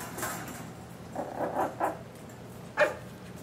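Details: Mal-Shi puppies, 10.5 weeks old, heard indoors: a brief high squeak, then a cluster of soft, whiny yaps and a sharp single yap near the end.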